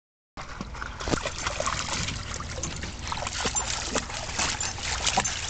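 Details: Steady broadband rustling and splashing noise with scattered clicks after a brief silent start, and no animal voice.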